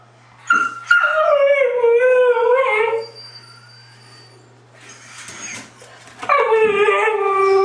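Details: Three white huskies howling together in a sing-along: sustained wavering howls with rich harmonics, a long falling howl in the first seconds, a quieter gap, then a fresh howl rising in near the end.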